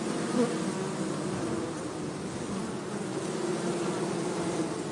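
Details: Many honey bees buzzing while being caught from an anthill nest in the forest at Hebri for a hive; a steady, low, humming drone with a brief louder rise near the start.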